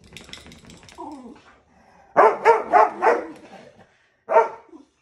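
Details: Two playful terrier brothers: after a low whine and some rustling, a rapid burst of four loud barks, then a pause and one more bark with a whining tail.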